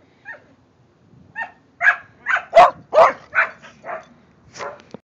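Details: Playful barking among Kerry Blue Terriers Quinn and Keely, the silver one, alongside the dog next door: a quick volley of about nine sharp, high yaps, building in loudness then tapering, spaced roughly every half second.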